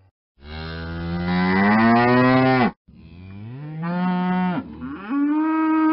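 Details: Deep, rich moos from a cow: a long, loud bellow rising slowly in pitch, a brief break, then a quieter low moo that swells and ends with an upward lift.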